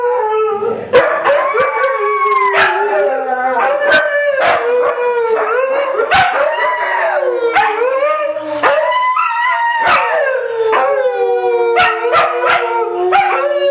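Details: Three white huskies singing along in a chorus of howls: several overlapping wavering voices bend up and down, rising and falling over about fourteen seconds, punctuated by frequent sharp clicks and yips.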